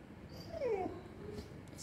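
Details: Female Samoyed puppy, hungry and sad during stay training in front of a meal table, gives a single short high whimper that slides downward, between a person's calm commands to stay.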